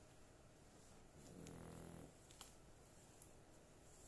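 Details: Sound asleep, a female pet dog gives one drawn-out, low, rough snore lasting nearly a second, followed by quiet breathing and a couple of faint clicks.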